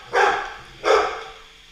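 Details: SirJi the Golden Retriever barks at a Roomba during their battle: two loud, harsh barks less than a second apart, each falling off into a brief fading tail.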